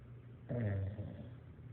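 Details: A bulldog snores with one low, rumbling breath lasting over a second. It starts abruptly and has a buzzy, harmonic texture under a steady low hum.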